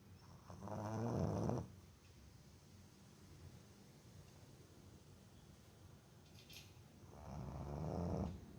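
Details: Deeply sleeping Boston Terrier called Botan snoring loudly: two long, rough, buzzing inhalation snores about six seconds apart, each lasting over a second, with near silence between them.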